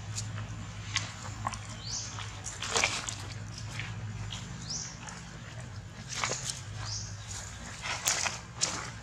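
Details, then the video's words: Baby monkey dramatically calling for its mother: three brief high squeaks sweeping upward, spaced about two seconds apart, over steady clicking, rustling handling noise and a low hum. "DRAMATIC CALL MUM - WHAT’S BABY MONKEY WANTS THE MOST ?"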